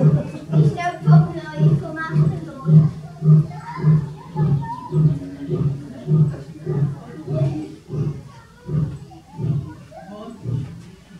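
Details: Captive male Indian lion Radja, born 2005, at Zoo Zürich, Switzerland, 18 May 2018, roaring as females groom: around twenty low, throaty grunts at a steady half-second beat, gradually weakening, overlaid by German-speaking visitors' voices.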